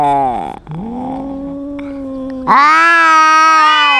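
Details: Domestic cat quarrelling with a loud-voiced rival cat. A long wavering howl is followed by a sudden, louder, higher drawn-out wail packed with harmonics. The voices overlap near the end.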